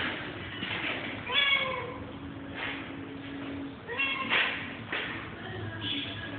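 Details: Pet cat giving several rising-then-falling meows, two longer ones stretched and wavering, with shorter mews between, over a steady indoor hum and background noise.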